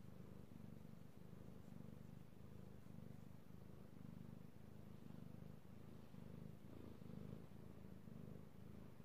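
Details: Io, a male pet cat, purring while being petted, recorded 3/16/18: a steady, low, rumbling purr that pulses in a continuous rhythm with brief breaks between breaths, close and intimate, with no other clear sounds.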